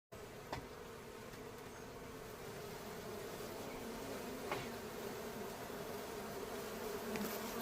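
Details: Aggressive honey bees at a beehive swarm around and land on the beekeeper, making a thick, unbroken low droning buzz of massed wingbeats with faint sharper clicks and bumps.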